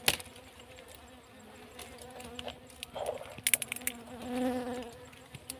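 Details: Bees droning during a beeswax harvest on a farm behind a cassava field, the hum swelling louder for a second near the end, amid sharp cracks, taps and rustling noises.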